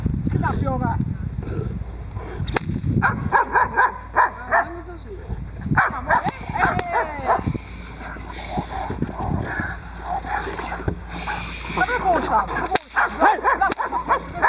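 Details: Boxer working dog Diesel v. Ons Hullekke doing protection bite work on the table, third time; irregular bursts of barking amid dense background talk, knocks and scuffling.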